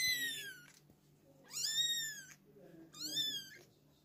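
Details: Three loud, high-pitched kitten mews from a litter kept hidden by their mother. Each is drawn out and slightly falling in pitch, and they come about one and a half seconds apart with brief quiet between.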